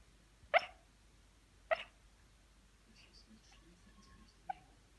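A sleeping Shiba Inu puppy gives a few soft, muffled yips, each a brief hiccup-like burst.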